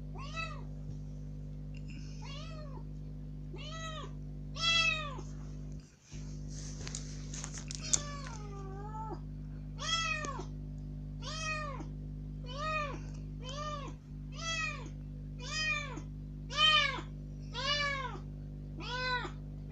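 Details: Newly rescued kitten freed from its cage into a room, calling with surprising volume to be let outside: rapid series of about fifteen arched meows, nearly one per second, with a short scuffling noise partway and constant low hum.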